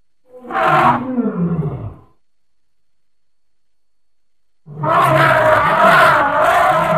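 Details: Playful baby elephant gives a loud, rough hoot lasting over a second, then after a silent pause a longer harsh, roaring call with throbbing pulses.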